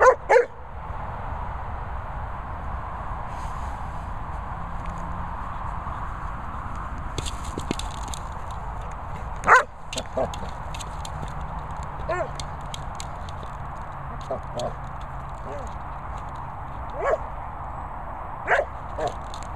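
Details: Bernie, a Labrador Retriever, playing with a boomer ball: a few short, sharp barks and yips spaced widely apart over a steady, rumbling, wind-like background with scattered knocks.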